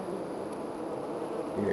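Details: A wild honey bee hive in a tree about 25 to 30 ft high outside a back door: a steady, dense, low droning buzz of many bees with no breaks.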